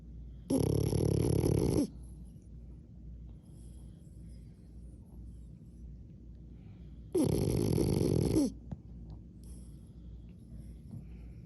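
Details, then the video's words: Sleeping French Bulldog snoring: two loud, harsh, rasping snores about six seconds apart, each lasting over a second, with near silence between them. "French Bulldog Snoring"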